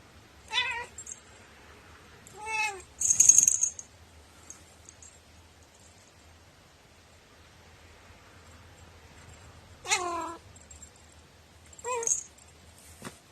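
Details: Cat with a strikingly peculiar meow, recorded 21 April 2018: four rising-then-falling meows spaced irregularly over thirteen seconds, with brief rustles and a sharp click between them in a quiet room.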